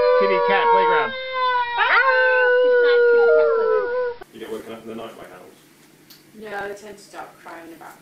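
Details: Puppy learning to howl: a long, clear, tonal howl that rises briefly and then holds steady for about four seconds, followed by quieter murmuring human voices.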